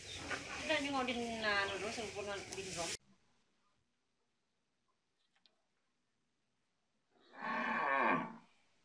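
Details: Cattle mooing: a loud, rich, harmonic call lasting about three seconds with a falling pitch contour, then near silence, then a second harsh, broad moo of about one and a half seconds near the end.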